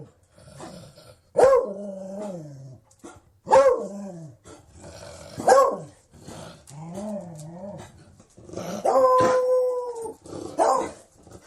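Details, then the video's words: Series of Beagle barks and yodelling bays, about six in eleven seconds. Some are short and falling, and a longer steady howl near the end is followed by one more sharp bark. "Sonido de un Beagle"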